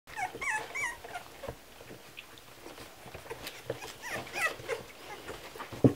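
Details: Kromfohrländer puppies at milk feeding: thin, high squeaks and whimpers, some rising then falling, in short bursts early on and again near the middle, over soft shuffling and sucking noises.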